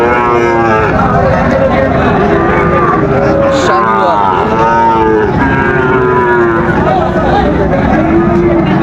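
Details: Sahiwal bull calves for sale at Raniganj cattle market, Dinajpur, on 30 September 2024, start of market day: many overlapping moos, wavering and rising-falling, under constant chatter of buyers and sellers.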